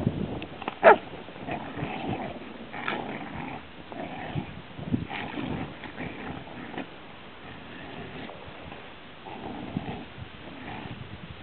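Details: Rhodesian Ridgeback kept as a pet, giving low, rough growls in uneven bursts, with a sharp louder sound near the start and quieter rumbling that trails off toward the end.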